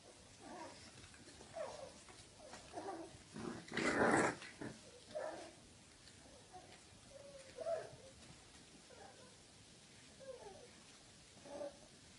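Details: Two wrinkly bulldog puppies trade short, high growls and yips while play-fighting, with one louder yelp midway.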